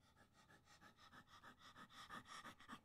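A golden retriever pants in quick, rhythmic breaths, each puff about a sixth of a second apart.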